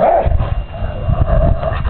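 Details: Elderly dog growling in play while biting on a piece of wood with its owner; short low rumbling growl in uneven pulses, with faint background music.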